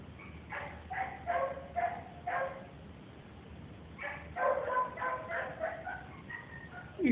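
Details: Female pet dog giving short, harmonic yelping barks in two bursts: four quick yips, a pause of about a second and a half, then a longer run of higher, whiny yips, with a soft voice at the end.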